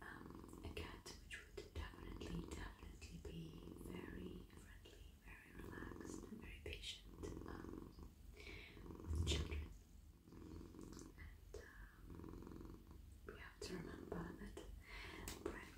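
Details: Domestic tomcat purring as he is petted across head, neck and whole body while melting in a lap; continuous low throbbing purr beneath frequent rustling of fur, soft whispering and occasional handling clicks.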